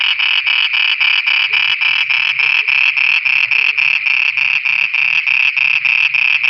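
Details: Night-time frog chorus in Pakistan: rapid, evenly spaced rasping croaks, roughly three per second, loud and unbroken from start to finish.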